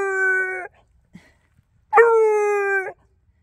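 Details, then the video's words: Beagle hunting rabbit in a yard at night, around 1 a.m., horn bugling to alert the other two beagles of his find: two long, level, resonant bawled notes, the first ending and the second starting after a silent gap of over a second. "Beagle hunting rabbit at night - Wait for it - Horn Bugle"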